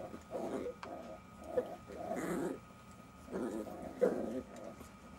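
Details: Playing Jack Russell Terrier puppies give bursts of low growling, about four rough surges separated by short pauses, with a faint squeak between them.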